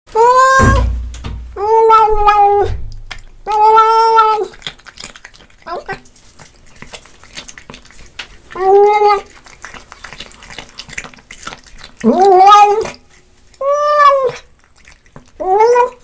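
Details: Domestic cat meowing while eating fish indoors, loud harmonic meows repeated irregularly, some with a rising start, between softer chewing and smacking noises.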